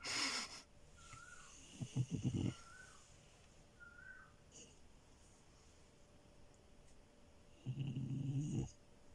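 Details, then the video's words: French Bulldog puppy Milo asleep on a bed, with a brief snort, a choppy fluttering snore, and a later rattling snorted breath, separated by quiet stretches with faint high squeaks. "Frenchie love and her snores"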